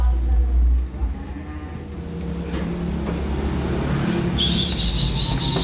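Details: Newly delivered cattle, calves and breeding cows, low lowing under a heavy engine-like rumble, a deep booming burst at the start, then faint hiss rising toward the end.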